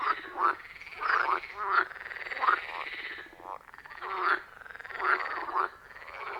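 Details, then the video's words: Frogs croaking at a forest pond, recorded with iPhone 14 Pro and Shure MV88+: separated groups of short rasping croaks roughly once a second over a steady faint trill, no people or music. "Frog Sounds at a Forest Pond"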